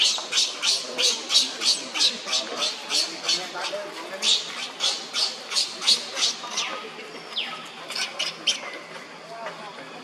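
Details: Young monkey Leo crying on the ground while another monkey, Libby, torments him; shrill, high screeching cries pulse about three times a second in a steady run, then grow weaker and more broken near the end.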